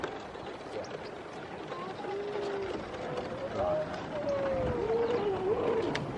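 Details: Grey seals early in the pupping and mating season, 5 November 2018, at Donna Nook, Lincolnshire; a long, wavering, tonal moan that slowly rises and falls over several seconds, above a steady hiss of background noise.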